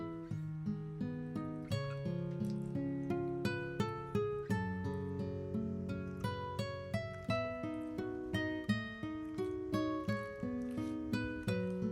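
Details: Plucked acoustic guitar or ukulele music plays throughout, with strummed chords and melody, and no animal sound heard.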